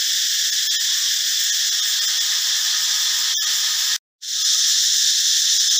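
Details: Forest cicadas (Cicadidae), whose sound comes only from the males, droning loudly: an unbroken high-pitched hiss in layered bands. A brief cut of silence near the fourth second is followed by the same steady shrill drone.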